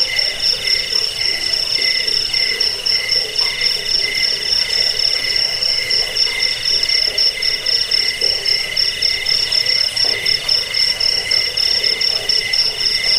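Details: Steady cricket stridulation intended for chasing rats away, bedtime listening and bird song training; piercing high trill and a lower pulsed note run together without a break, with the faint murmur of other insects.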